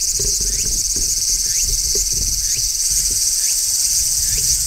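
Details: Large brown cicadas singing on a tree in midsummer fill the air with a steady, high, sizzling drone like frying oil.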